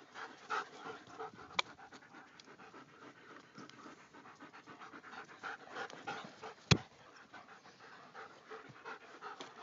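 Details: Several German Shepherds of the Paradise Creek pack pant quickly and continuously, with a dense run of short breathy bursts, a sharp click near the start and a loud knock toward the end.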